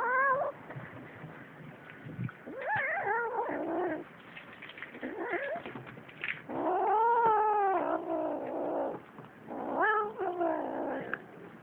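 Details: Cats fighting, giving long wavering yowls that rise and fall, with harmonic bands swelling into drawn-out wails separated by short pauses and rustling noises.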